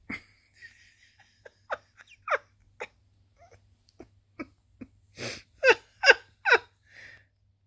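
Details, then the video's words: Sweet Pea, a chatty tabby cat with a squeaky, bell-like voice, talking while posing and cleaning: a scattered run of short, downward-sliding chirps and mews, building to a burst of four louder, rapid calls near the end, in a quiet room. "cute tabby cat posing cleaning talking chatty"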